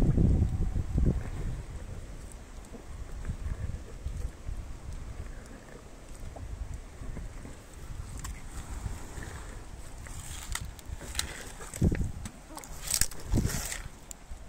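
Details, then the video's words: Elephant called Meri chewing sugarcane, recorded close for ASMR: low rumbling chews throughout, with sharp crunching snaps near the end as the cane breaks, over steady wind noise. "ASMR Elephant eating sugarcane พี่เมรีกินอ้อย"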